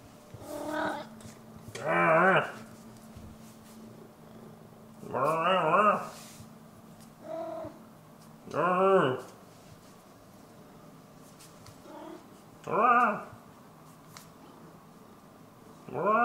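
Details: Maine Coon cat meowing indoors, about six short, arched, nasal calls spaced every two to four seconds, with a faint low hum in the room between them.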